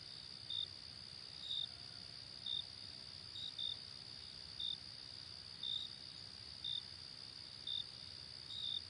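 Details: Crickets chirping in the night, a steady high continuous trill punctuated by brief bright chirps roughly each second, irregularly spaced at times, with nothing else clearly audible.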